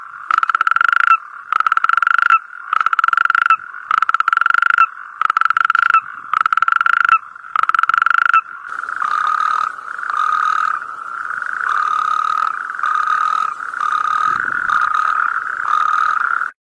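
A frog calls loudly with harsh, nasal, buzzing notes, first in short bursts about every half second. Later the calls stretch into longer, steady droning trills with brief gaps between them.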